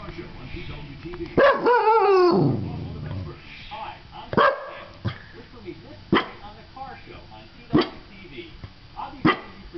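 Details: A dog making a throttled, wavering whine-like sound, then giving short sharp barks spaced roughly every one to two seconds over faint background noise.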